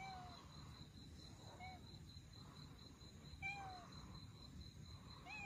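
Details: Russian Blue kittens abandoned with their mother, heard while being rescued: a few faint, thin meows spaced a couple of seconds apart over a low background hum.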